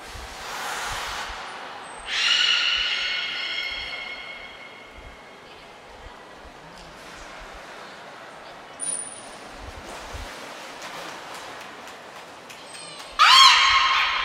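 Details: Beluga Niko in training at Port of Nagoya Public Aquarium, Japan, 25 February 2024, gives a loud layered squealing call that tapers off, with two thin steady high tones later and a final sharp harmonic squeak.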